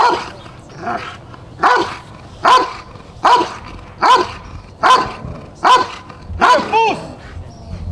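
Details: Rottweiler Jefe von Tonatiuh in the protection phase of an IGP3 qualifying trial for the 2021 DVG America National Championships: deep, loud barks repeated steadily about every 0.8 seconds, eight in a row, over faint background noise.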